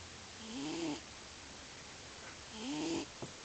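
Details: Loud snoring from a sleeping male house cat that always snores in its sleep. Two rasping, slightly rising snores come about two seconds apart, followed by a small click against quiet indoor background.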